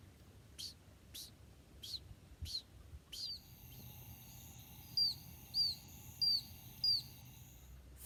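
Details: An oak toad, a tiny southeastern US toad, possibly North America's smallest, gives high, birdlike peeps, each a short chirp repeated about every two-thirds of a second.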